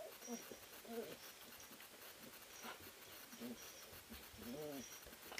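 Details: Three-week-old puppies, an Ari x Grace litter from a sled-dog kennel, wrestling and playing in the whelping house; short high whimpers and squeaky yips come in scattered bursts over faint background hiss.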